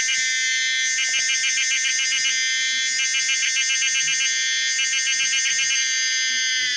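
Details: Common cicada Pomponia linearis producing a loud, shrill electric buzz overlaid with rapidly pulsed, rattling bursts roughly every two seconds, the whole song intense and continuous.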